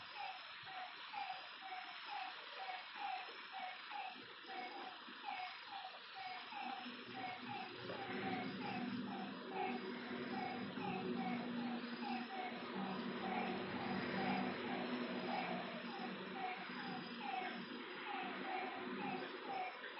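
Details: Frogs calling at night by a lake, a chorus of short nasal notes repeated in overlapping series, with soft rumbling noise underneath growing louder midway.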